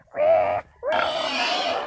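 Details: A captured wild boar gives two loud squeals, a short tonal cry followed by a longer, harsh scream.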